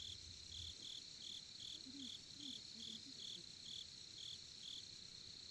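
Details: Crickets chirp in short, high, evenly spaced bursts over a steady shrill trill, recorded at a campsite in Korea beside a campfire.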